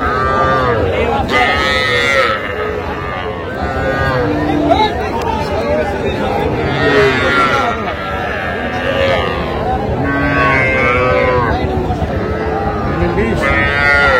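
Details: Small Sahiwal bull and heifer calves for sale at a Tangail cattle market, Bangladesh, 7 July 2025; several short, strained calf moos repeat every few seconds over constant human talk and market hubbub.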